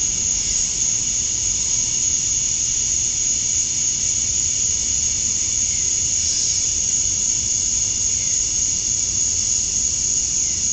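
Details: Outdoors at summer dusk in Georgia, USA, male cicadas chirp to draw females: one continuous high, shimmering buzz that stays level for the whole stretch, with a soft low rumble underneath.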